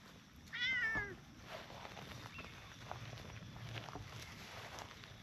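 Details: Stray cats, a brown tabby and a tortoiseshell, sit on a bench in a park and take turns being petted; one gives a single clear meow lasting about half a second, wavering and slightly falling, then quiet outdoor background with faint rustling.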